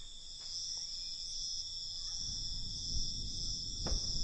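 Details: Crickets calling at night; an unbroken, high-pitched shrill trill holds steady throughout, with faint low rumbling background noise and a short sharp click near the end.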